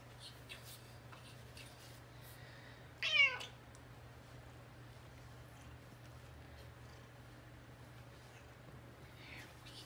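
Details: An extremely affectionate Bengal cat indoors gives one short, clear meow lasting about half a second, with stacked harmonics that rise and then fall, over a steady low hum and faint room noise.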